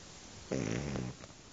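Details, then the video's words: Simon, a sleeping Shar Pei dog, snoring: a single rough, rumbling breath of about half a second, low and buzzy with layered tones, followed by quiet and a faint second breath over a soft background hiss. "simon roncando"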